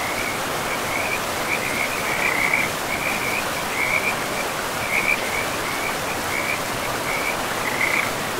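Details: By a river deep in a pristine forest, frogs give rapid, evenly spaced trilling bursts, roughly one per second, some louder than others, against a continuous hiss of rushing water.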